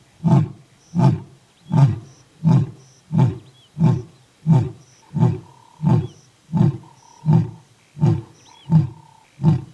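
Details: An old lion and a young lion give a long series of deep, grunting roars, each coming about every three-quarters of a second.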